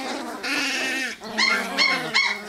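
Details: Wirehaired Pointing Griffon puppies, a female pup harassing her littermates: a long drawn whine sliding down, then three short high yelps or squeals at about half-second gaps.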